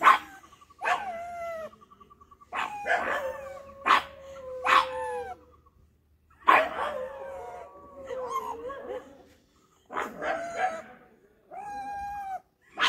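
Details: Pug barking aggressively: sharp bark bursts mixed with long, wavering, whining howls that bend up and down, in uneven bouts with short quiet gaps between them.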